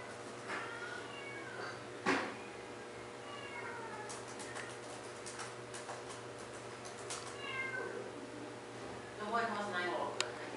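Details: American Curl cat offered for adoption, indoors: several short, wavering meows spread through the recording, a cluster near the end, mixed with people talking nearby, a sharp knock early on and a constant low electrical hum.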